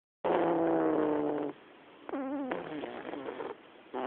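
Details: Black domestic cat snoring in a living room: a long buzzy, harmonic breath of just over a second, then a shorter wavering rasp and the start of another breath.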